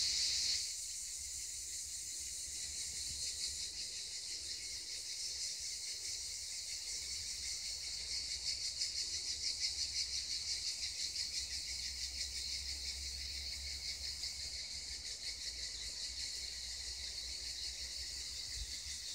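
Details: Cicadas sing near the Black Sea coast in a continuous, high, shimmering buzz that barely changes.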